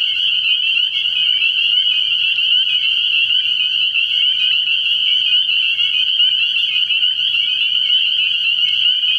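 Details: Early-spring night chorus of spring peepers at a frog pond: a continuous shrill mass of high-pitched peeps from many frogs at once, unvarying in loudness, with a faint low hum underneath.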